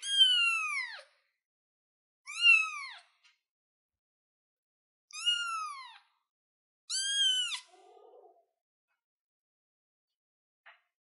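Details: A kitten on a chair meows four times in quick succession, each call bright and arching down in pitch, followed by a few seconds of near silence.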